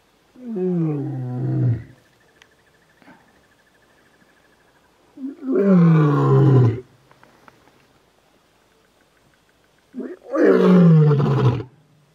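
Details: Male lion roaring three times, each a deep, harmonically rich, falling moan of about one and a half seconds, spaced roughly four to five seconds apart, with quiet gaps between.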